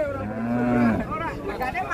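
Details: Belgian Limousin cattle: a single low, drawn-out moo of about one second, its tone bending slightly upward then down, followed by men talking.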